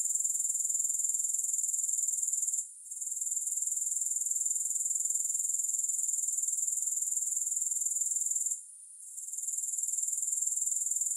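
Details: Insistent high-pitched grasshopper trilling with no music: quick, regular pulses forming an unbroken shrill buzz, interrupted by two short quiet gaps about six seconds apart, each followed by a gradual return.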